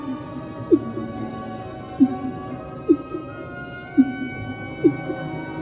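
Humpback whale song: short, low, swooping units repeated about once a second over soft background music.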